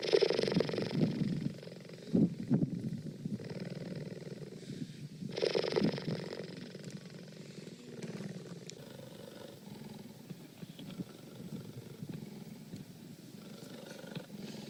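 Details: Cheetah purring: a low, rough, continuous rumble with fast pulses, louder in the first seconds with a few short bursts, then softer and steady toward the end.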